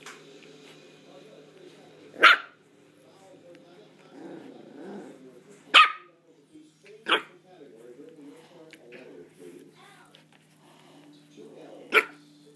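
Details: A Havanese pup barks during play: four sharp, isolated barks spaced several seconds apart, with soft murmured voice sounds and low growly noises in the gaps.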